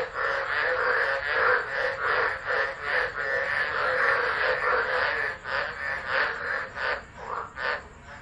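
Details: Tropical frogs singing through a tropical low at Driver, Northern Territory, Australia, 13 December 2013, recorded by an unattended phone; fast, overlapping croaks form a thick chorus that thins in the last seconds into separate, louder pulses.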